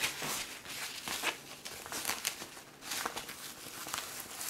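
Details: Cat out for a walk in a stroller; crinkling and rustling bursts with footsteps and faint voices, no animal call heard.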